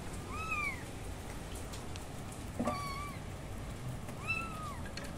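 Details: Kittens calling with three thin, arched meows spaced about one and a half seconds apart, one with a sharp onset, over a steady low hissing background.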